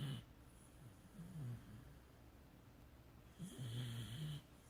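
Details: A tired Beagle asleep, snoring in low, rough rumbles; one faint snore near the start, a brief one around mid-clip, and a longer, louder snore toward the end, with quiet pauses between.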